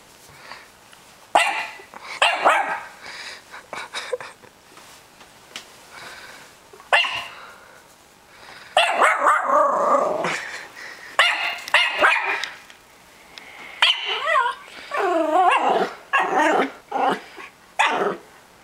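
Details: Peanut, a six-and-a-half-month-old male Norfolk Terrier, reacts to a balloon for the first time with scattered sharp barks and short growly bursts, some yelping whines near the end, people talking and laughing in between.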